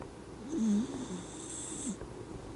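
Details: Sleeping Miniature Dachshund, pleasantly asleep, snoring: one whistly, nasal snore that dips then holds a steady low tone for under half a second, with a softer breath near the end over a steady background hiss.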